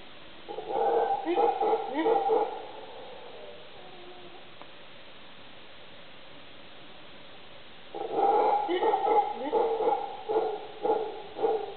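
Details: Howler monkeys in late afternoon by a driveway in Uvita, Costa Rica, in May 2010, give two bouts of rough, pulsing howls separated by a quiet stretch.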